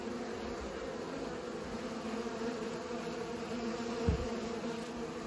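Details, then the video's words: Low, steady buzzing of pollinating bees, with one brief soft thump near the end. "Bees pollinate"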